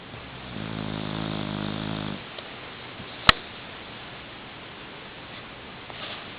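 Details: A sleeping nine-month-old Boxer puppy snoring on a pillow indoors; one long, low, rasping buzz of an inhaled snore, then quiet breathing and a single sharp click.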